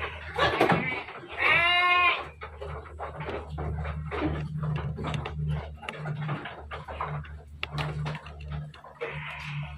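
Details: Dairy goats on a farm in Bogor, Indonesia: one loud, wavering, tremulous bleat lasting under a second, then low chatter and shuffling over a steady mechanical hum, with a fainter bleat near the end.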